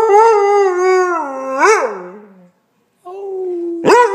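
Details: Basset Hound howling indoors; a long, steady, rich harmonic howl that bends upward and falls away, a short pause, then a second sustained howl rising sharply at the end.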